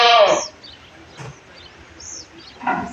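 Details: Castrated Beetal buck goat about 14 to 15 months old, one of three sold on a goat farm before Bakri Eid. Gives a short, loud, harmonic bleat at the start, followed by quieter thin high bird chirps and a brief noisy burst.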